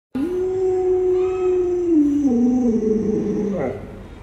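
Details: Alaskan Malamute Luoluo calls out while trying to wake an owner who is still in bed with the sun already high. The call is a long, smooth, woo-like howl lasting over three seconds. It holds steady, then slides downward in steps before breaking off.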